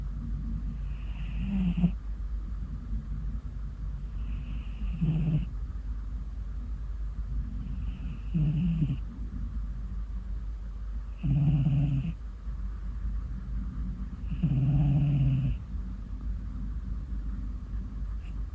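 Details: Ginger tabby cat Mii-chan, fast asleep, snores steadily: roughly seventeen rasping snores a minute, each a low rumbling inhale, with a constant low background hum.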